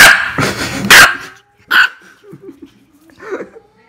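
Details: Angry dog barking: a burst of three loud, sharp barks in the first second, another single bark shortly after, then quieter low grumbling sounds.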